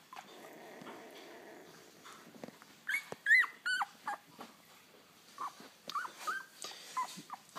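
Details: Ten-day-old Labrador Retriever puppies at bedtime making noise indoors; high, rising and falling squeaky whines and squeals come in quick uneven bursts, with soft rustling between them.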